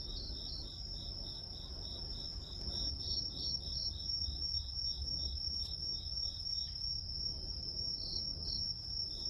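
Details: Grass insect chorus for white noise: an unbroken high ringing note plus regular pulsed chirps about three per second, with a couple of faint clicks and a low background rumble.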